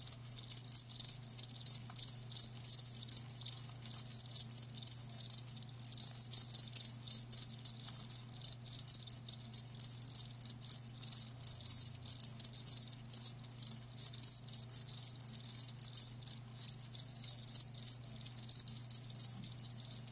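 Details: A chorus of live crickets keeps up an unbroken high, pulsing chirr for twenty seconds, the rapid beats overlapping, with a quiet low hum beneath.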